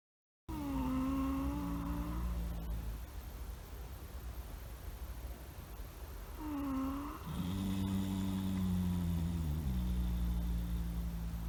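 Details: Two horses snoring, a stallion and his sleeping one-and-a-half-year-old son lying nearby: nasal, droning tones that dip and level off, each lasting over a second, then a deeper steady drone, over a low rumbling background.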